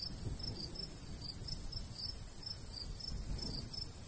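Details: High, clipped cricket chirps in rapid succession rise over soft wind in a summer wheat field setting in the countryside.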